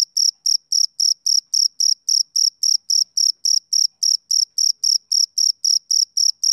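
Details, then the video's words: A male cricket chirps through a summer evening, each note a short high trill, repeated at a steady rate just under four per second in otherwise silent surroundings. "Cricket Chirping Sound Effect"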